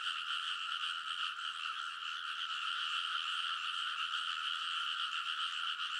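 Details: Frogs chorusing loudly beside rice paddies in Kōnosu, Saitama, Japan, at midnight in early summer, recorded on a TASCAM Portacapture X8; rapid overlapping croaks form a constant, buzzing, rhythmic chorus.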